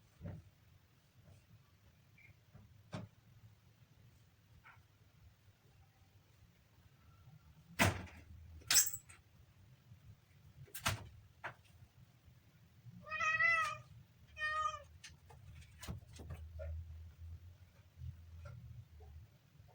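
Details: A kitten on its third day gives two short, high, harmonic-rich meows in quick succession amid clicks, knocks and rustling handling noises indoors.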